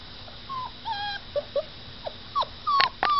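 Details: A dog whimpering while it is made to stay in one place for photographs: a series of short, high whines and yips, some sliding up then down, coming in uneven bursts and growing louder toward the end.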